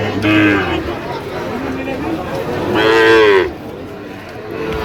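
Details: Sahiwal bull calves at a cattle market in Sylhet, Bangladesh, on 8 October 2025: a short low moo, then a longer, louder drawn-out moo that rises and falls, with people talking nearby.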